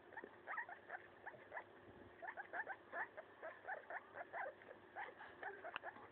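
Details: Maso, a pet guinea pig, tears apart and eats a leaf: a steady run of short, crisp, upward-flicking crunches, roughly three or four a second, with a faint background hiss.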